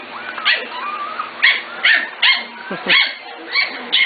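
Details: Five- to six-week-old Corgi pups from three litters (Katie, Emma, Annie), June 2014, yapping in a quick run of about seven shrill barks, mixed with squeaky whimpers and a brief human voice.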